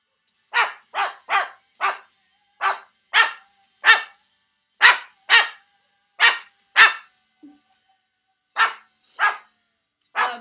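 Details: Neighbor's dog barking loudly: sharp, harsh barks in quick bursts of two to four, about sixteen in ten seconds, with one short pause midway; no other clear sounds.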